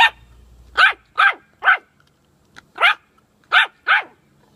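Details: High, snappy barks from a puppy with bully sticks: three quick yaps, a short pause, then one more and a final pair, each bark bright and clipped, against a quiet background.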